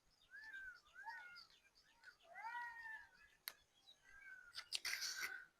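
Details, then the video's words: Jackals call before dusk near a village of garden houses at Aminbazar, wailing together in high, wavering, overlapping howls that rise and fall. "সন্ধ্যা নামার আগেই ডাকাডাকি করছে শিয়াল।"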